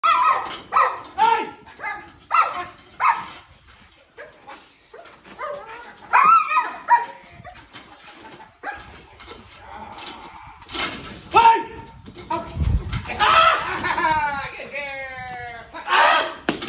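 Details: An 8-month-old German Shepherd during biting work, barking in short, sharp bursts repeated about twice a second, with brief pauses and a run of harsher, rasping barks near the end; a human voice is heard between bursts.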